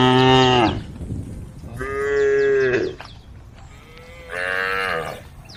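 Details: A group of tame female cows grazing on grass give three long, rich moos, each a drawn-out harmonic bellow lasting about a second.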